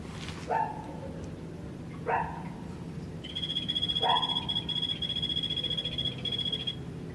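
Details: Captive Golfodulcean poison frog in the new cold-blooded animals pavilion at Poznań's Old Zoo: after three short lower chirps, a fast pulsed high-pitched trill runs about three and a half seconds against constant low machinery hum.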